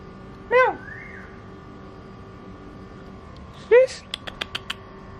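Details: Household cats nearly fighting as a new Persian cat arrives. Two sharp, bending meows sound about three seconds apart, the second followed by a quick run of soft clicking taps in a quiet room.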